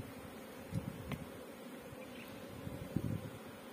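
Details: Honey bees at a bee farm in Pakistan, a low steady hum with a faint overtone, quiet throughout, broken by a few soft low thumps and rustles.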